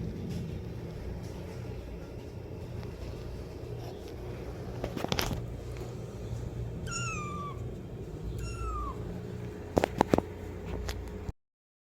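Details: Kitten calling for its mother: after several seconds of hum and scattered knocks, two short, sharply falling high meows close together, followed by a few clicks.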